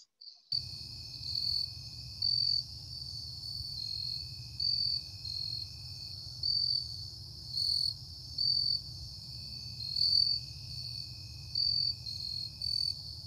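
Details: Jumping bush crickets in the Chicago region singing at night, clear, high, musical chirps, several individuals overlapping at slightly different pitches; a species rapidly expanding its range northward and more often heard than seen.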